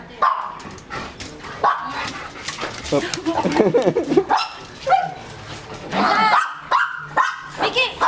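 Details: German Shepherd x Labrador cross dog at bath time giving short barks, yips and wavering high whines in bursts, mixed with a person talking close by throughout.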